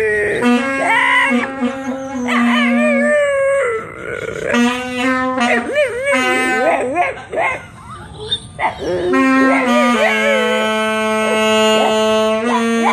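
A Boston Terrier howls and yips in wavering, sliding tones between long held saxophone notes.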